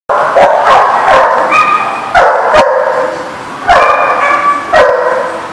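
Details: Dog barking recorded 21 June 2019: a run of about six sharp, high, yappy barks with ringing overtones, spaced unevenly over five seconds, some trailing into short whiny tails.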